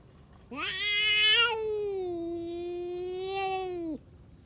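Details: Stray tough cat venting at other cats with a single sustained yowl: harsh and loud at the start, then a level drawn-out moan that swells slightly near the end before dropping off abruptly.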